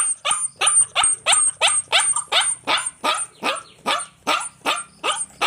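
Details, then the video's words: Puppy barking in a steady rapid series, about fourteen sharp high yapping barks in under six seconds, evenly spaced and bright, with a faint high steady tone behind. "Puppy voice, Puppy voice sound effect, Puppy Dog barking"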